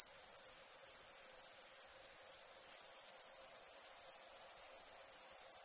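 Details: High, fast-pulsing insect trill from crickets at night, sustained and even in loudness, with one short pause near the middle.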